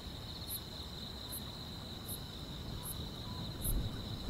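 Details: Summer-night grass insects: a continuous high-pitched shimmering trill with brief, very high chirps spaced roughly every 0.8 seconds, set against a soft low rumble.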